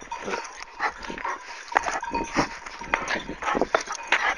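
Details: Kangal dog attacking its owner while a white dog comes to the owner's rescue; harsh, rapid barks and snarls in dense irregular bursts throughout, with scuffling noise of a fight.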